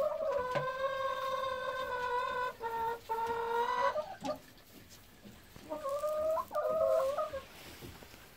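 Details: Golden Retrievers Kohaku and Ibu during morning free time in a field before heading to the office; drawn-out high whines with rich harmonics, several long tones then shorter wavering ones, with rustling and a person's voice nearby.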